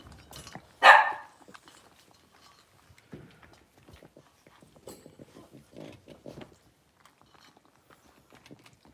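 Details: One loud high yip from six-week-old Blenheim Cavalier King Charles Spaniel puppies, a litter of five indoors, followed by quiet shuffling, soft murmurs and scratching in the pen.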